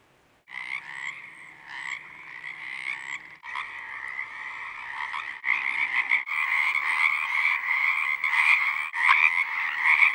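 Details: Many male Pacific chorus frogs (Pacific tree frogs) in spring call from a pond on a ranch in southwestern Oregon, a dense mating chorus of overlapping raspy two-part croaks to attract mates.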